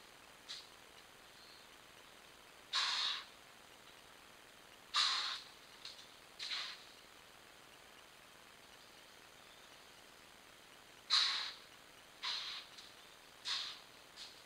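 A black-tailed deer gives harsh, breathy alarm snorts at irregular intervals after spotting a mountain lion.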